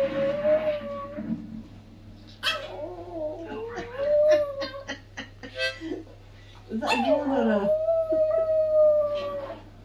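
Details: Tired pet Chihuahua in a drawn-out howling bout: wavering sustained tones broken by short yips and whimpering bursts, then a final long howl that swoops down and levels off.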